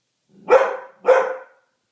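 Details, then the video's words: Frightened poodle barking at Christmas decorations, two sharp, loud barks about half a second apart, each with a rough burst that trails off quickly; nothing else heard. "My poodle is afraid of everything"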